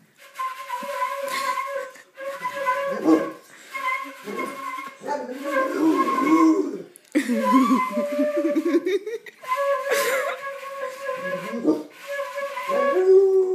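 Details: Pit bull named Troya howling along to flute playing indoors; wavering, rising and falling howls weave beneath steady, sustained flute notes, with brief laughter between phrases.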